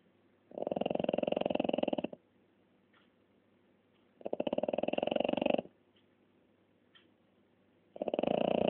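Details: Snoring French Bulldog, each inhalation a coarse, rapidly pulsed rattle lasting about 1.5 seconds, three in a row with soft pauses and faint small noises between.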